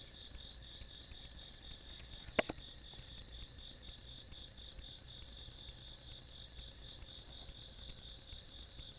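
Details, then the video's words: Night insects in the countryside on 17 August 2022 keep up a shrill, rapidly pulsing trill chorus; a sharp click cuts in once early on, while a low background rumble persists. "시골밤 벌레소리"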